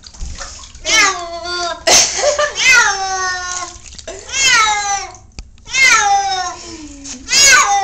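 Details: Trap, a male cat being bathed and wanting to get out, gives a run of long, wailing, bending meows, about five in eight seconds, with splashing water and sharp bath noises between cries.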